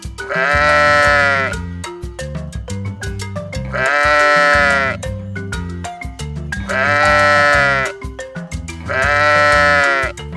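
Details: Lamb bleating four times, roughly every three seconds, each a drawn-out wavering baa, over a continuous plucked, bouncy music backing.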